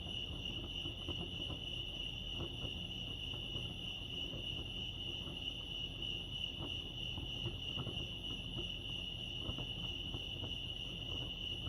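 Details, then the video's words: Crickets chirping at Lake Arrowhead, California: a steady, high, continuous trilling band with pulsed texture runs throughout, over low rumbling background noise and scattered faint clicks. "Serenity sounds crickets chirping lake arrowhead"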